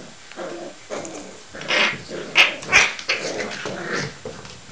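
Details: Six-week-old working cocker spaniel puppies from Travis and Teal's litter, filmed indoors on Christmas Day, give rough, hoarse growls mixed with short yappy outbursts, several louder peaks bunched in the middle seconds.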